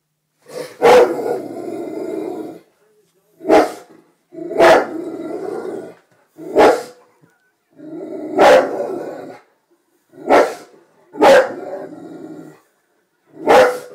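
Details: A Rottweiler 'talks' to animals on the TV in drawn-out, grumbling moans and yowls, broken up by short barking bursts.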